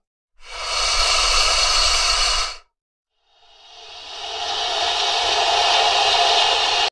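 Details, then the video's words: An angry alligator gives two long, harsh, breathy hisses. The first is steady for about two seconds; after a short pause the second swells and holds. "Alligator Angry Growl"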